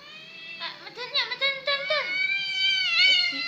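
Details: Whiny cat, called gembeng, that cries easily: several short, wavering mews that rise and fall in quick succession, then a longer, steady, drawn-out tonal wail.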